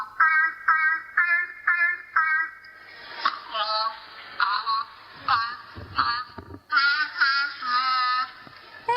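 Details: Grey seal from vocal learning experiments, copying a melody: a run of short, evenly spaced tonal notes with clear harmonics, then longer wavering and sliding notes separated by brief gaps, sounding slightly muffled and band-limited.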